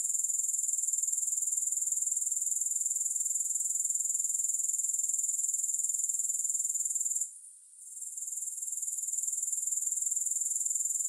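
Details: Grasshopper chorus as an even, piercing high hiss-like trill, with rapid regular pulses at about four per second. It dips briefly past the seventh second, then recovers. Nothing else is heard.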